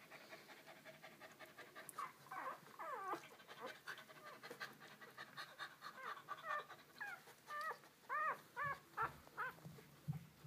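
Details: Purebred Moyen Poodle puppies giving soft breathy panting that builds into a series of thin, high, arching whines and squeaks, growing louder and more insistent toward the end.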